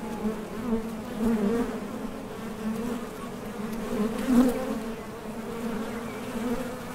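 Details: Honey bees at a top bar hive entrance, departing for and returning from nectar foraging; a dense low hum, steady throughout, with a few louder passes, the strongest near the four-second mark.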